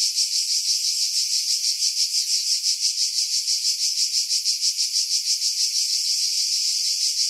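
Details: Cicada song from pine woods over Pefkos Bay, Skiros, Greece, in July 2018; an unbroken high-pitched rattling buzz beating about three times per second, steady in loudness.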